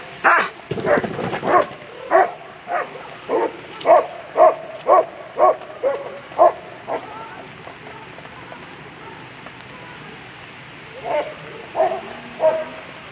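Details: Apollo van de Wolferskroon, a German Shepherd competing at the World Championship Agility, gives a rapid run of about a dozen ringing barks roughly two per second, a pause, then three more barks, over steady hiss.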